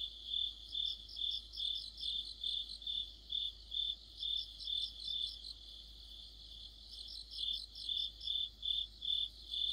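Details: Autumn insect orchestra led by crickets: an even, high chirp repeated roughly every half second, with bursts of quicker, higher trilling that fade out midway and return near the end.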